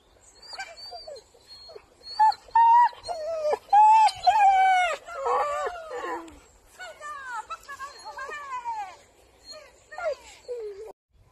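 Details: Soft Coated Wheaten Terrier in France whimpering and yipping in a long, uneven series of high, bending whines and moans, some rising then falling, louder in the middle and fading toward the end.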